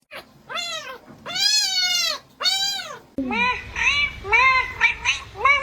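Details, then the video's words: Kitten meowing: three drawn-out, harmonic meows that rise and fall, each about a second long, then an abrupt change to a quicker run of shorter, higher meows with faint background noise. "Kitten meowing"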